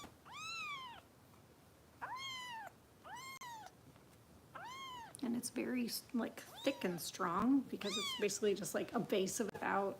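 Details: Foster kittens of Kitten Rescue volunteers in Los Angeles at bottle-feeding time, giving four clear arched meows about a second apart, then a denser run of overlapping meows mixed with a person talking softly indoors.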